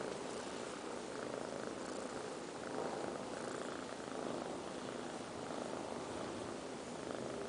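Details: Two five-month-old kittens, Liz and Taby, snoring in their sleep: a soft, breathy rasp that swells and fades in slow, steady breathing cycles, with no other sounds.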